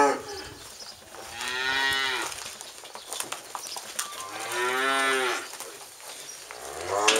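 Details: Registered Charolais cows of French and American bloodlines give two long, rich, harmonic moos, each about a second long, a few seconds apart over faint background noise.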